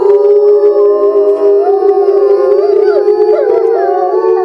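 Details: A family of Eastern timber wolves at a zoo howls together in February 2012, during the breeding season, while one female is kept apart in a small enclosure. Long steady tones are overlapped by wavering voices that rise and fall.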